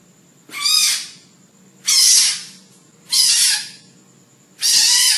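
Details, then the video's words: A frog screaming: four loud, harsh, harmonic squalls, each about half a second long, repeated roughly every second and a quarter, with a faint high steady tone between them. "11 Minutes Of Screaming Frogs Compliation"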